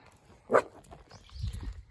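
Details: A male toy poodle born in June 2020 meets a cat on a walk and, after hesitating, gives a single sharp, high threatening bark toward it.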